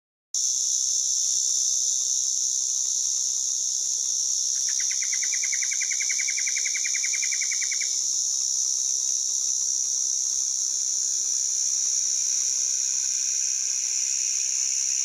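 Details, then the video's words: A white drummer cicada (Arunta perulata) calls with a steady, piercing high drone without a break. "White Drummer Cicada calling sound (Arunta perulata) HD"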